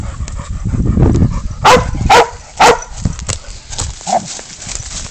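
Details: Dog baying up a goat during a catch and release: three sharp, loud barks about half a second apart, followed by scuffling, rustling movement and a softer yelp.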